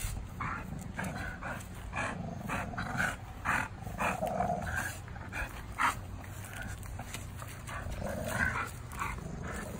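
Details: Two tri-color American Bullies, Gusto and Big Girl, playing tug-of-war in the afternoon; not fighting. Rough low growling rumbles in uneven bursts with scuffling noise throughout.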